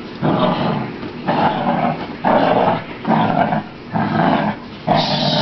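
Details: Precious, a beagle just in from a rainy walk, being dried off with a towel: a run of six rough, throaty growls, each lasting under a second and coming about once a second, with brief quiet gaps between them.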